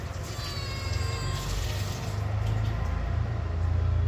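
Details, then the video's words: Domestic cat answering its owner in a back-and-forth conversation: one steady, drawn-out harmonic meow lasting about a second, held at an even pitch, over a constant low rumbling background hum. "Cute Conversation With A Responsive Cat"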